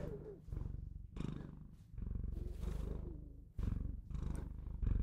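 A Bengal cat purrs steadily, a low rumbling vibration pulsing in long breaths.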